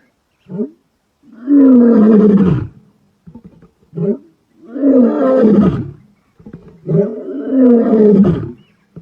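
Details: Male lion at Black Dam in Kruger, 14 November 2025, roaring: low moaning groans with rich harmonics, three long swelling roars each preceded by short grunting intakes.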